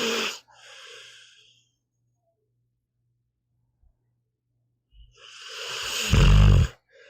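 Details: Meatball, a pet pit bull, snoring while asleep: a harsh rasping inhale rising into a loud low rumbling snore near the end, after a brief breathy exhale and a long quiet pause.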